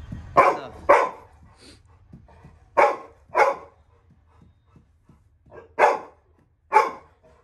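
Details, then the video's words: Little John, a Labrador Retriever puppy, barks while guarding home as a stranger enters the house: loud paired barks in three bursts, two quick barks each, separated by quiet gaps, faint low background hum. "Labrador puppy guarding home when stranger enters"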